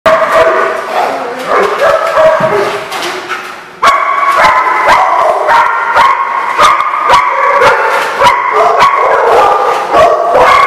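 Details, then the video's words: Dogs barking in a chorus, harsh overlapping barks and yips repeated rapidly and loudly for the whole stretch, several animals calling at once with a brief dip before the barking swells again. "The Barking Lot"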